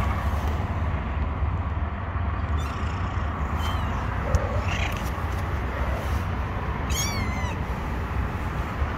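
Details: Kittens sheltering under rocks make thin, high meows, faint at first and then one clear wavering call near the end. A steady, heavy low-pitched rumble runs underneath throughout.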